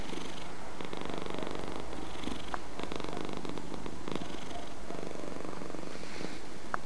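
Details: Close, continuous low purr from a domestic cat, deep rumbling with soft rhythmic surges roughly once a second and occasional small clicks.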